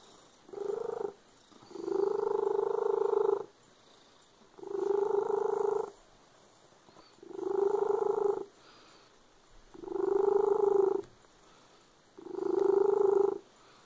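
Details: Loud purr from a domestic cat, six steady rumbling phrases of one to one and a half seconds, separated by short near-silent breaths, with no other sounds.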